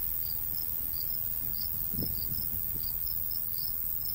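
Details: High, pulsed cricket chirps in a golden wheat field on a summer day, repeating irregularly under a soft, low breeze, with a few faint low thuds near the middle.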